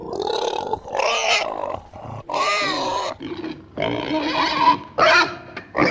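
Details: Pig producing extreme squeals and snorts in separate harsh bursts of about one second each, some shrill and strained, others lower and growly, with brief silences between them.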